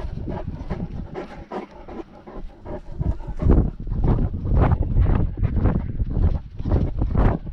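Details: On a walk with a GoPro dogcam during lockdown, a Great Dane pants in quick raspy bursts, roughly two per second, growing louder partway through, over constant low-pitched wind and footstep rumble.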